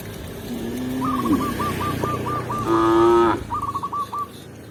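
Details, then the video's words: Village cows walking into their pen with a shepherd; a low moo opens, then a louder, steady, harmonically rich moo follows, while a series of short, high chirping notes repeats throughout. "Cow Sound, Funny Cow, Cow Moo"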